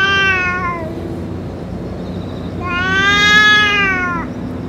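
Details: Boss cat of a stray group, fed food and medicine, utters a short descending meow, then after a pause a longer, swelling meow with many harmonics that cuts off sharply.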